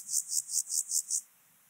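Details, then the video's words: Song of an Alpine grasshopper on Obir, Austria, 30 July 2022, captured via ultrasound detector: six rapid high, hissing pulses in quick succession, then silence. "Chorthippus alticola -- Höhengrashüpfer -- Alpine Grasshopper"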